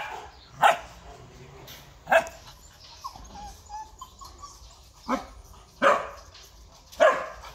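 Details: Purebred large-line Rottweiler at a breeding kennel in Vietnam, giving loud single barks spaced irregularly, about five over several seconds, with quiet background between them.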